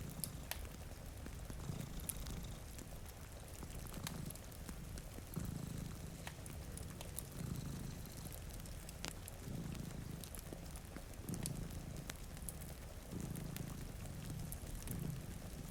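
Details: Two cats asleep in front of a rainy window purr in a slow, pulsing rumble, each swell lasting about a second, while a fireplace crackles and rain falls steadily.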